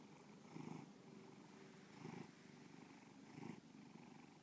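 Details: Bubba, a pet cat, purring: a low rumbling hum that swells roughly every 1.3 seconds with each breath, three louder surges in a steady, continuous drone.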